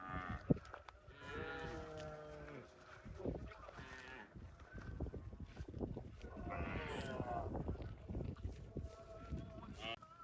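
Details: Cow mooing: a long, drawn-out harmonic moo that bends in pitch over the first two and a half seconds, then a second rougher call near seven seconds, over steady background noise and faint voices.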